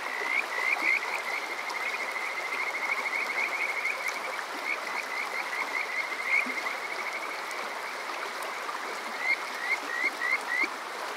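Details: Kajika frog calling on a summer night at Water Park Shirayama, Yokoze, Chichibu District, Saitama, Japan, recorded with a TASCAM DR-05X: quick bursts of short whistled upswept notes in runs of three to five, over a steady rush of flowing water.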